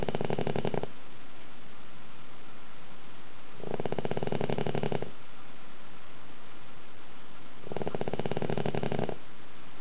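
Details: Loud snoring from a dog sleeping soundly indoors: three rough, vibrating snore bursts spaced roughly four seconds apart, each about a second long, with hushed gaps between.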